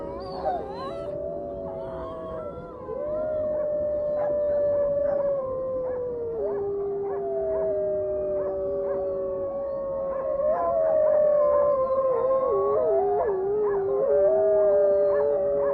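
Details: Dog howling: long, sustained wavering tones that slide up and down, drawn out continuously with several overlapping voices.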